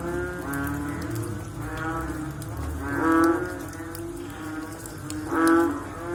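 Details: Frogs after rain give deep, hoarse, mooing calls. Two louder calls stand out at about three and five and a half seconds against a continuous layer of fainter overlapping callers.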